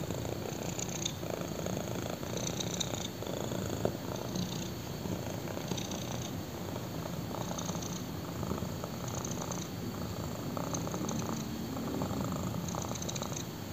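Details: Purring black kitten resting on someone's thigh; continuous low, even rumble sustained for the whole stretch, rhythmic breathing pulses audible, quiet indoor setting with light fabric rustle.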